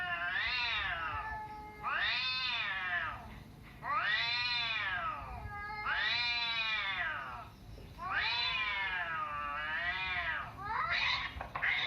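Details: Cat meowing sound played to domestic cats to provoke a reaction: loud, long arching meows with rich harmonics, repeated roughly every two seconds, six in a row, the last shorter and overlapping.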